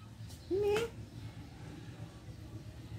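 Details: Cat giving a single short meow, about a third of a second long, slightly rising then level, against a quiet indoor background hum.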